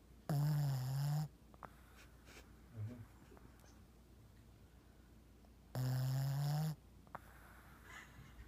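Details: A 5-year-old female Boston Terrier asleep on a couch beside another pet snores in two long, low, rattling breaths about five seconds apart, the flapping "yap flap" part of her snore.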